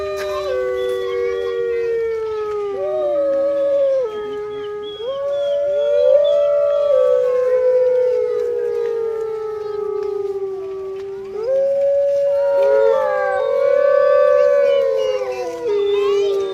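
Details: Captive grey wolf pack howling together at Artis Zoo, 10 November 2013, phone recording; multiple long, wavering tonal howls overlap and shift up and down in steps, swelling and fading across a group chorus, faint human voices in the background.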